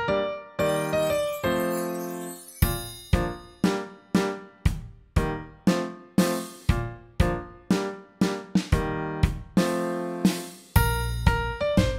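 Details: Bright children's music of chiming keyboard notes and drum beats repeating about twice a second, with no animal voice.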